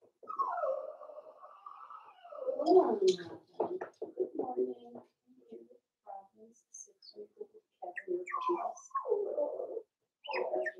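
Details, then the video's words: Litter of five-week-old Cavalier King Charles Spaniel puppies indoors in Daisy's pen, whining almost nonstop: wavering, nasal cries that rise and fall, broken by choppy squeals and short yips, with several pups overlapping. "Cavalier King Charles Spaniel Puppies Livestream"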